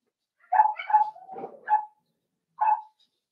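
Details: Four-week-old Cavalier King Charles spaniel puppies in an indoor puppy pen, meeting older dogs and trying puppy mash: a run of short, high yelping notes, some drawn into a brief whine, then a pause and one last yip.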